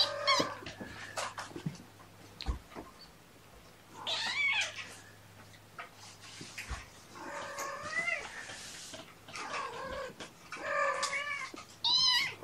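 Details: Domestic cat indoors, mother cat Gamora with her five kittens born April 14, morning of 2018-06-06, mother calling for her human babysitter: repeated arched, rising-then-falling meows at intervals, with faint clicks and room noise between calls.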